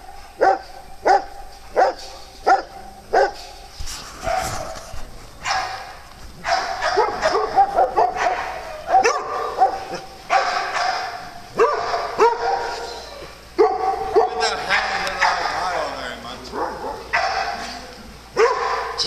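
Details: Dogs at playtime on a farm: sharp single barks about a second apart open the sequence, then barking grows denser and overlapping, with yips and tonal, harmonic barks layered together toward the end.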